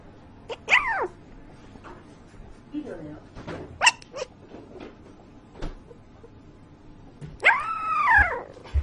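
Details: Puppy making noises in its sleep: scattered thin squeaks and clicks, then a longer arched whine that rises and falls near the end, with faint low voices in the room.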